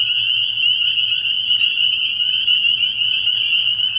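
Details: Early-year night recording from a frog pond: many spring peepers calling together, their shrill peeps fused into a steady high shimmer, with a faint pulsing low tone beneath.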